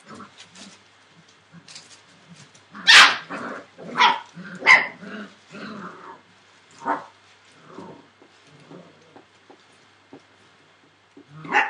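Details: Entlebucher Mountain Dog puppies, 41 days old, from the litter of Aisha Princess of Beauty (Shadow) and Falk vom Kornried born 28 December 2013; a cluster of sharp, high yelps and short barks, then scattered quieter yips.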